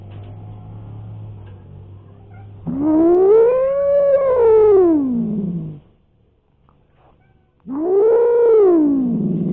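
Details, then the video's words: Cats squaring off as Alik drives away intruders: two loud, moaning yowls that rise and then fall in an arch, the first lasting about three seconds, the second starting after a short silence. "Разборки котов Алик не даёт тут разгуляться пришлым хулиганам / Showdown cats"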